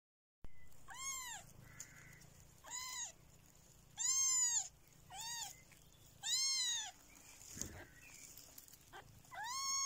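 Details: Kittens in a basket with their mother cat, giving a series of high, arched mews at irregular intervals over faint background hiss.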